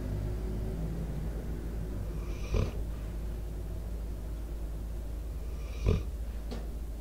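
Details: Debo, a sleeping four-year-old American Staffordshire Terrier/Pitbull, gives two short, rough snorting breaths about three seconds apart, close to the microphone, over a steady low hum of outdoor background sound.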